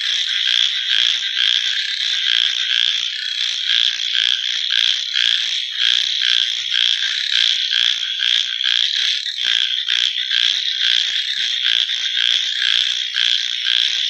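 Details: Many frogs calling through the night, with a sustained high ringing trill and a steady stream of short pulsed croaks throughout.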